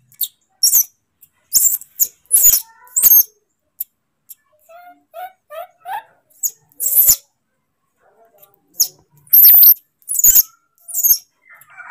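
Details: Moni, a baby monkey furious at being left for a while by his father, who went to pick fruit. Shrill, piercing squeals come in short bursts, with a run of softer chirping notes midway and a woman's voice talking in Indonesian.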